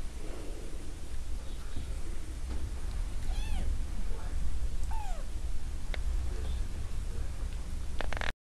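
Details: A cat raising baby jackrabbits gives two short arched meows, then scattered faint clicks, over constant low rumbling background noise.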